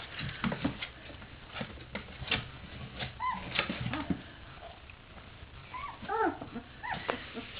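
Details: Three-week-old puppies of one litter playing indoors, a black male among his brothers and sister: short rising-falling whimpers and squeaks near the end, with scuffling patter between faint cries.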